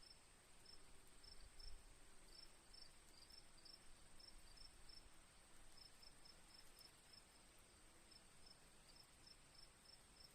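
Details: Chirping crickets in a nature soundscape with birds and gently dripping rain: rapid high pulses in bursts with brief gaps, set against a strong low rumble and steady high-pitched hiss.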